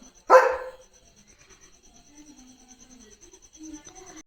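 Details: A single loud, abrupt bark from German Shepherd Leo, barking at passing cattle at the gate, followed by quiet with faint low voice-like sounds and a steady high-pitched whine.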